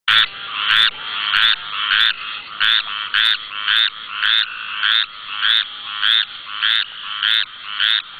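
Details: Squirrel treefrog calling at night in the Barataria-Terrebonne National Estuary, Louisiana, recorded on a camera: loud raspy, nasal notes repeated steadily about every half second, around thirteen in a row.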